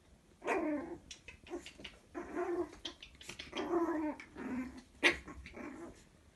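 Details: Toy Chihuahua puppies of one litter, two males and one female, at play; short gruff growls and snarls repeat about every second, with a sharp high yip near the end.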